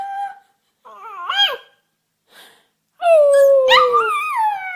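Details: Puppy learning to howl, giving short wavering whimpers that break into a longer falling howl near the end, all in a small indoor space.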